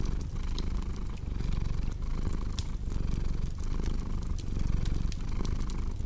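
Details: Cat's deep, throbbing purr runs unbroken, rising and falling in breath-length cycles, while bright snaps from a crackling fire burst irregularly on top, arranged as calming ambience for deep sleep.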